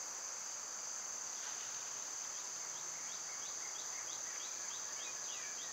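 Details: Constant high-pitched cicada hum of summer, overlaid by a rapid run of faint short bird chirps toward the end.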